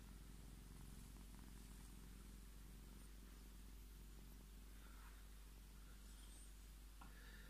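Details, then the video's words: Purring from Scottish Fold cat Tommy as he insists on being petted, a dense low vibrating rumble that continues throughout, with a brief faint rustle near the end. "Scottish Fold Tommy fördert seine Streicheleinheiten ein"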